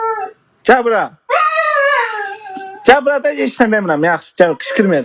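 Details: Husky indoors in a small room giving a long, drawn-out howl that slides gently downward, between short yelping and whining bursts of rising and falling talk-like vocalizing.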